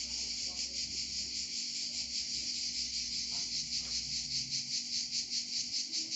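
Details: Cicada song from Provence: a shrill, metallic buzz pulsing in regular waves of loudness, steady in pitch, over a quiet low background.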